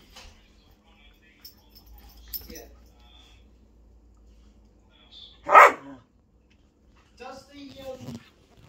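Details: Male Whippet during an impromptu play session at home: mostly quiet, then one sudden sharp, loud bark just past midway, followed near the end by brief harmonic vocal sounds and faint background noise.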